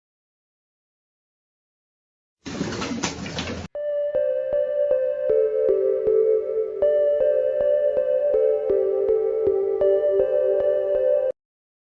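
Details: A short burst of rustling noise gives way to soft electric piano music with repeated sustained chords and no animal voice.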